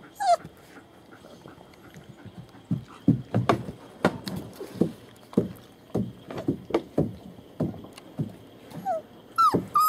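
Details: German Shepherd puppies, born 28 January 2015, at a small family kennel on 40 acres in Mayo, Florida, recorded 21 February 2015: brief high descending whimpers open and close the clip, with irregular thumping and tapping knocks between.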